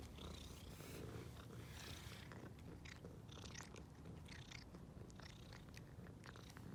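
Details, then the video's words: Stray ginger-and-white female cat, just fed, purring with happiness at seeing people; continuous low purr with soft chewing-like clicks and brief higher crackles scattered across. "Ginger White Cat is making Happy Sounds about Seeing Us"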